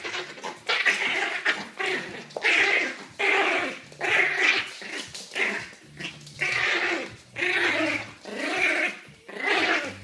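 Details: A very small Yorkshire Terrier, a bit nervous, makes breathy, rasping bursts about once a second. Short pauses separate them in an uneven rhythm, with a faint low growl-like undertone in places.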